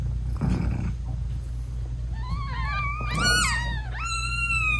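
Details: Newborn British Shorthair kittens with their mother, eyes still closed, during nursing; after soft rustling come thin high rising meows, one sliding up sharply and held at the end, over a low purring background.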